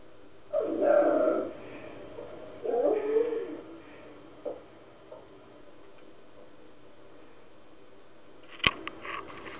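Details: A female Siberian Husky indoors, watching puppy videos, gives two drawn-out, wavering whining howls early on, then short softer whimpers, followed by quiet and a sharp click near the end.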